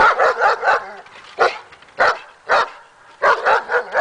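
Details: Daja, a female dog on an agitation table during training to build confidence, barks in sharp bursts: a quick run of four, then single barks spaced about half a second apart, and another rapid cluster of four at the end.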